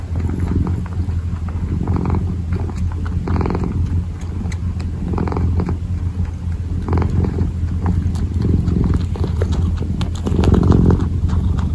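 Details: Kitten purring while kneading, recorded close up: a steady low rumbling purr throbs continuously through the clip, with soft intermittent scratchy clicks from the kneading paws.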